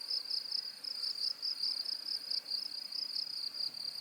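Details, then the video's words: High-frequency cricket song meant for tinnitus masking: a shrill trill pulsing about four times per second at an even pace, clean and unbroken, with no other sounds. "고주파_귀뚜라미2 / High-Frequency_Cricket2"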